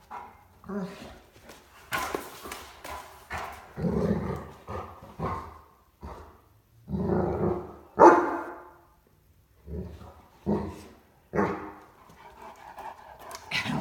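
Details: Ellie, a clumsy female Great Dane puppy, play bows and 'talks' to coax Jack the cat into playing: about a dozen short grumbling, moaning vocal bursts over fourteen seconds, some louder and drawn out, with a person's voice and soft thumps between.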